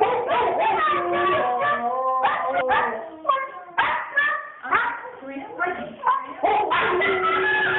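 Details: Female Siberian Husky flipping out, as she often does on walks: loud, rapid bursts of yowling, whining and barking-like yelps that rise and fall in pitch, with brief pauses between outbursts.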